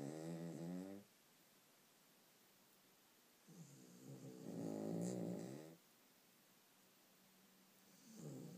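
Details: Several dogs snoring extremely loudly, described as one of the worst cases: rough, buzzy harmonic snores lasting one to two seconds, separated by quiet pauses of a couple of seconds.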